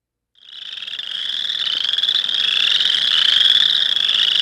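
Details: Boreal Chorus Frog call, the best way to tell it from the nearly identical Western Chorus Frog: a high, rapid pulsed trill that fades in and holds steady, with fast clicky pulses running together and growing slightly louder to the end.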